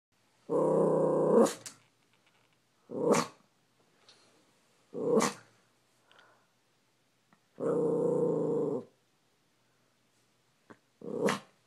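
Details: Maltese dog named Logan reacting wildly to a squirrel seen out the window: harsh growling bursts and sharp barks in separate outbursts, a long rumbling growl at the start and again mid-way, short barks between, quiet gaps.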